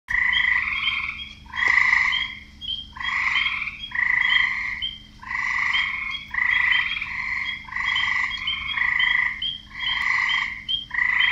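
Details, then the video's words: Frogs croaking, males calling to attract females: loud overlapping pulsed croaks with bright harmonic bands, bursts of about a second following one another continuously, with short higher chirps between them. "Frogs croaking"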